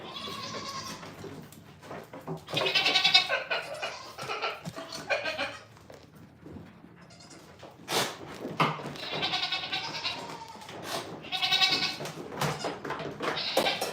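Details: Repeated quavering bleats from goats on a farm, five or so drawn-out cries separated by pauses, with some knocks and rustling between them.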